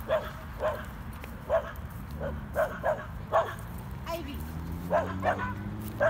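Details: Two dogs at play, Corgi Nessi and Chihuahua mix Miles; scattered single barks spaced irregularly, some in quick pairs, with a woman talking and a low steady hum behind.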